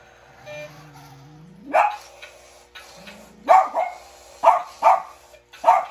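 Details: In winter, a Bichon Frise reacting to an RC toy gives a rising whine, then a series of sharp, high yapping barks.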